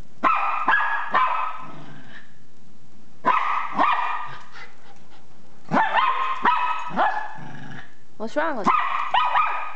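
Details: Frightened by an RC car, Zeus the Miniature Pinscher fires off quick groups of shrill barks with gaps between, plus one rising whine-like yelp near the end; a low murmur sits in the pauses.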